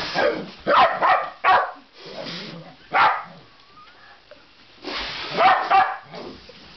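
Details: Pet Basenji dog, afraid of a balloon being blown up, reacts with bursts of short, harsh, strained barking and yelping in several clusters, with a faint thin rising squeak in a quieter gap between bursts.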